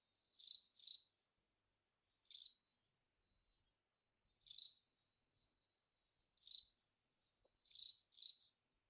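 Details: Song of the long-snouted cricket Velarifictous aspersus: brief buzzy chirps delivered singly or in pairs at irregular intervals of one to two seconds, seven in all, with nothing else audible.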